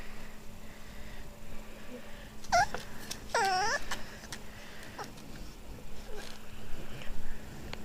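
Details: Crying from a Boston Terrier puppy called Kimball: two brief, high whines, each sliding downward in pitch, about a second apart, then quiet with light background noise.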